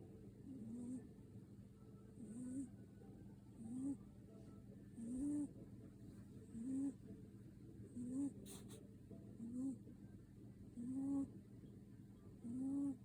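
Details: Cat asleep and snoring: low, buzzy rising snores repeated steadily every second and a half, with a faint click midway.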